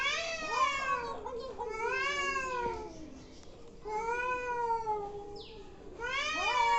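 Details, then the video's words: Angry cats making weird noises: long, wavering yowls that rise and fall, four drawn-out cries over nearly seven seconds, each rich and nasal with strong overtones. "Angry cats making weird noises"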